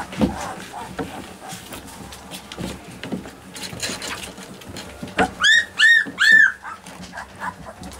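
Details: Alaskan Malamute puppies, mostly quiet with faint shuffling, then three clear, high arched whines in quick succession about half a second apart, followed by softer fading whimpers.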